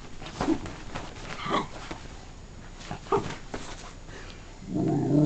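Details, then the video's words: Female pet dog indoors, said to love talking and rolling around on a bed; short grumbling, moaning vocal bursts come in separate spurts, with a louder rumble rising at the end. "Wicked the talking and rolling dog"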